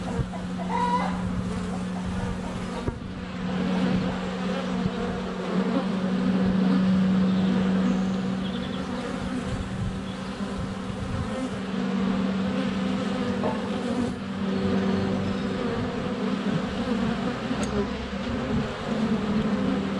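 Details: Low, continuous droning of many honey bees flying around a hive entrance on a sunny day in February, taken up close on a GoPro Hero 7 Black; occasional thumps as bees land on the camera, with chickens clucking nearby.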